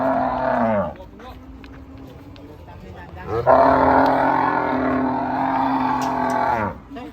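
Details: Agitated cattle coming off a truck: a short moo, then a pause with faint voices, then a long, loud, steady bellow of about three seconds that drops away at the end.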